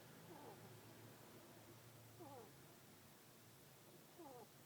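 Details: A female pet ferret, the only girl of the household, snoring in her sleep indoors. Soft, faint puffing snores recur about every two seconds, three in all, over low steady room hiss.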